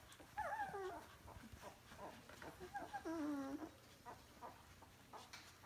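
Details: DK puppies of the vom Kleinen Fluss A litter, two weeks old, give a few short whimpers and one longer wavering, descending whine amid soft rustling.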